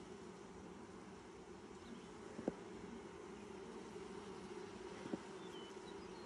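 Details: Honey bees buzzing at their hive during the first inspection of 2020, six days after nucs were installed. A steady, even low hum fills the whole stretch, broken only by two brief sharp clicks.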